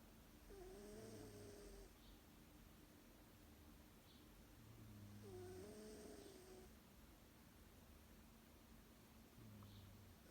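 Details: Female domestic cat snoring during a lunchtime nap: slow rhythmic breathing, each cycle about four to five seconds, with a low rumbling snore on one phase and a nasal wheezy whistle plus airy hiss on the other.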